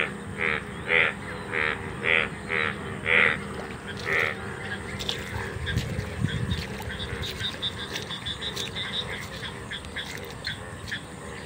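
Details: In an open field in India, where many golden frogs (Indian bullfrogs), some bright yellow, call all around: seven loud, nasal croaks in quick succession. They give way to a fainter, scattered frog chorus with rustling and low rumble.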